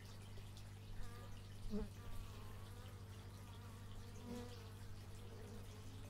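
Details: Several bees buzzing, recorded outdoors in stereo with an x/y microphone; thin wavering drones shift in pitch, with a brief louder pass near the two-second mark over a steady low hum.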